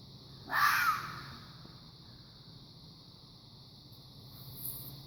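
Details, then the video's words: Single hoarse, rasping shriek from a fox, short and broadband, followed by several seconds of quiet hiss. "Fox making a strange noise"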